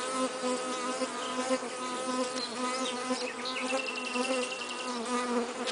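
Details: Continuous humming buzz of a western honey bee laden with pollen, an even low drone with layered overtones and small pitch dips, accompanied by faint high twittering in the background.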